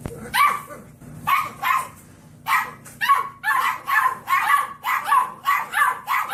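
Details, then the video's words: Dog barking in a rapid series of short, bright yaps, about eleven barks in six seconds, some in quick pairs, over a faint low hum. "강아지 짖는 소리"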